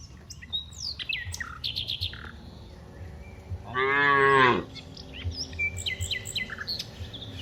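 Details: A cow among dozens of cows walking from the rice fields to the village gives one loud, drawn-out moo with rich harmonics, while small birds chirp around it.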